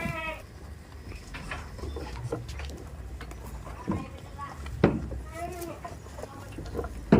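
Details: Tame goats on a goat farm give short harmonic bleats, one at the start and another near the fifth second, over a low rumbling background with faint human voices.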